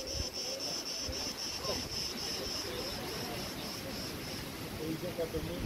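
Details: Crickets at Preveli Beach, Crete, recorded in August 2020 among wind-blown tree branches. A steady train of high, shrill chirps pulses rapidly throughout over a soft, low wind rush.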